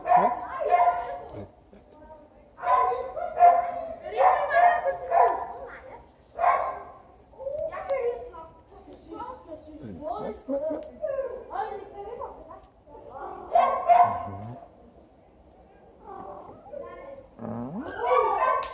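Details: Cats in heat calling, one male among them waiting his turn; a series of loud, wavering, drawn-out yowls rising and falling, repeated every one to two seconds with short gaps, some harsher and nasal.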